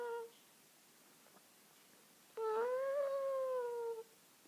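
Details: Domestic cat meowing indoors: a brief tonal note opens, then after a quiet pause a clear, harmonic-rich meow of about one and a half seconds swells slightly upward in pitch and eases back down before stopping abruptly.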